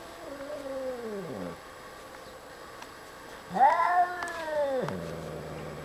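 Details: Elderly domestic cat, twenty years old, growling at a stray orange cat on the back porch: drawn-out, wavering moaning cries, the first falling away over about a second, the second louder, rising and then held before dropping off.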